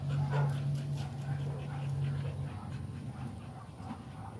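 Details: An American Pit Bull Terrier pants rapidly, with a short low whining tone at the start that fades after a couple of seconds.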